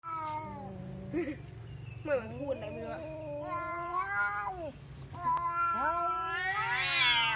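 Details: Domestic cat yowling during a fight: long wavering moans that slide up and down in pitch, several drawn-out cries over seven seconds, ending in a louder rising wail, over a steady low background hum of music.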